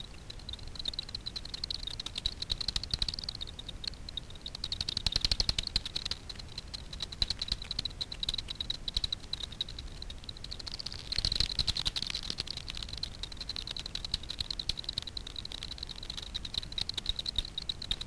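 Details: Daubenton's bats foraging for insects on the water surface over Miedwie lake in north-west Poland, heard through a frequency division ultrasound bat detector: dense, rapid ticking clicks that swell into busy bursts around the middle and later, over a steady hiss.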